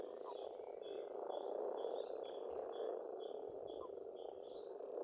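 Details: Pond frogs in Estonian countryside in spring keep up a constant low rolling chorus, while a bird repeats a quick series of clear high whistled notes, about a dozen in a row.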